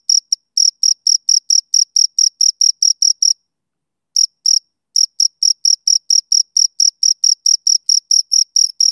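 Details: Rhythmic high cricket chirps repeated about twice a second, a sudden pause of nearly a second, a couple of isolated chirps, then the steady chirping resumes; clean recording without background noise.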